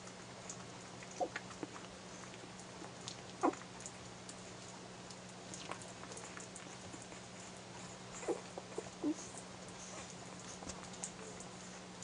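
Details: Airedale Terrier puppies, one week old, feeding at their mother's teats, give a few thin, high squeaks spaced seconds apart over soft rustling and a constant low electrical hum.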